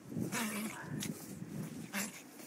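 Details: Chihuahuas out in a blizzard give thin, high whining whimpers in short repeated bursts, while a person talks to them nearby.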